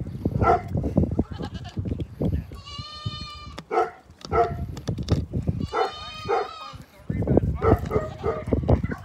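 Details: Goat drinking A&W root beer, giving two drawn-out, quavering bleats about a second each, separated by several seconds, amid frequent human talking and laughter.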